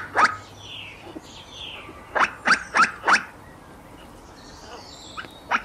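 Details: Squirrel barks: one harsh chuck, then a quick series of four loud rasping notes, with scattered weaker calls over steady outdoor hiss.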